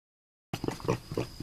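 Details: A pig kept by its owners, coaxed to 'say hello', answers after a moment of quiet with a few short, low, muffled grunts in quick succession.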